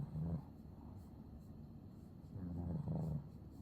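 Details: Sleeping Maine Coon cat snoring contentedly; two low rumbling snore breaths, one at the start and a longer one later, with quiet breathing between.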